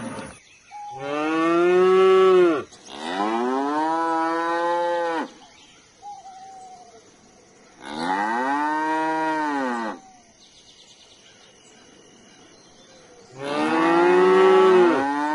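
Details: Cow giving four long, resonant moos, each about two seconds, arched in pitch and rich in overtones, spaced by quiet gaps with faint background noise between calls.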